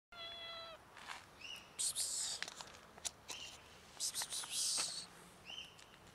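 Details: Four cats fighting over food: a short tonal meow opens, then harsh hissing bursts and sharp clicks come in uneven bouts, with a quiet background.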